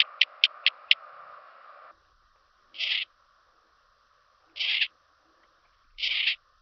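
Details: Handsome Cross Grasshopper on Cres, Croatia, 27 July 2023, picked up through an ultrasound detector: four sharp quick ticks, then three short buzzy bursts spaced about 1.7 seconds apart, with a faint steady hum during the first two seconds.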